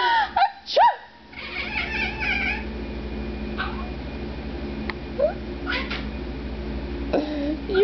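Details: Pet domestic cat that cries whenever its owner sneezes, heard indoors: brief upward-bending mews, a couple early, then single cries spaced several seconds apart, mixed with the owner's voice, sneezing noises and background music.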